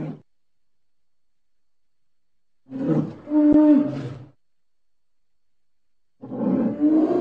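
A bear gives deep, rough roars in two long bursts separated by silence.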